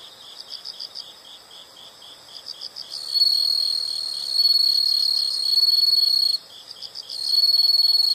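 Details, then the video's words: Insect chorus from a nature recording: soft rapid pulsed chirping at first, then a louder continuous high shrill trill that breaks briefly and resumes. "the sound of insects"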